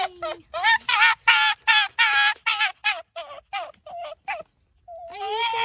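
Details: Fox giving a rapid series of short, wavering, nasal yelps in quick bursts, slowing and thinning out toward the end, followed by a longer drawn-out whine.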